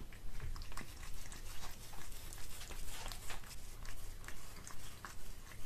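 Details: A pet cat chews a tuna mini stick in a small room, giving rapid soft crackling bites and moist clicks over a continuous low hum, with no other voices.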